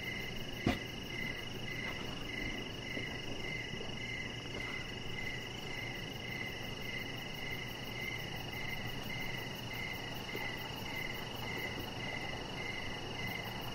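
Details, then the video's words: Evening cricket chorus by a deck with a chihuahua puppy, Rocket, under decoration lights; one sharp click near the start, then bright, rhythmic chirps repeat about every half second over a steady hiss. "Cricket Sounds"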